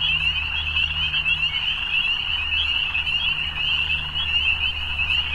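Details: Many frogs in an evening chorus keep up a constant high-pitched trill that never pauses, while a faint low droning hum runs beneath it.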